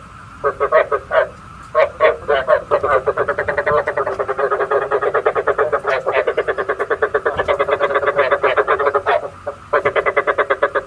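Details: Rapid, rattling frog croaking used to lure frogs into night traps: a nearly continuous train of quick pulses, several per second, broken by one or two short breaks, with a constant faint hum underneath.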